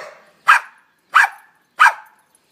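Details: Boston terrier named Jackie, a pet dog, playing tug with a rope, lets out three short, sharp barks spaced about two-thirds of a second apart, each one bright and punchy with quick fading tails, in an otherwise quiet room.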